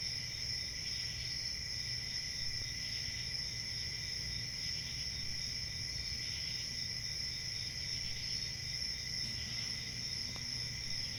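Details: Crickets chirping in a dense, steady chorus: a continuous high shrill trill with a bright upper band and a softer lower band, unbroken throughout, over a low background rumble.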